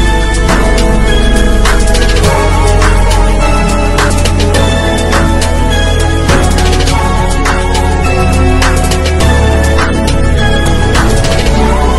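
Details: Loud hip hop style music with a steady heavy bass beat fills the whole stretch, with no animal sound heard.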